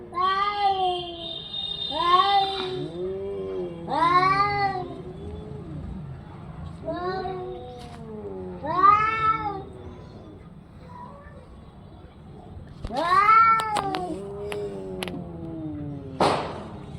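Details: Orange-and-white house cat calling repeatedly: a series of rising-then-falling meows about every two seconds, some drawn out into caterwaul-like wails, ending with a sharp click.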